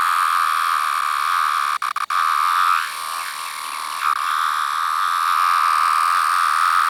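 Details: A larger variant of the 17-year periodical cicada, with yellow-brown striping under the abdomen, gives a steady, high whining drone that wavers slightly in pitch; this variant often calls high in trees.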